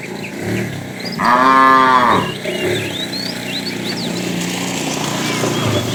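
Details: Tame cow from a herd wandering far in search of food gives one loud, drawn-out harmonic moo lasting about a second, steady then dropping at the end, with scattered bird chirps and whistles in the background.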